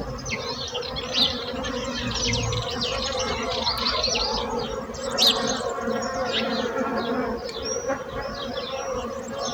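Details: Bees buzzing in a steady low hum of layered tones, with many bright chirping birds calling over the top throughout.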